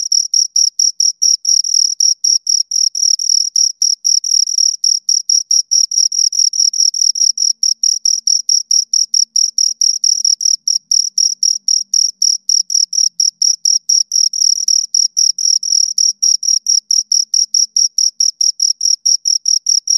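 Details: Two crickets stridulating continuously, rapid high-pitched pulses in an unbroken rhythmic stream lasting twenty seconds, shrill and metallic, with nothing else audible in the background.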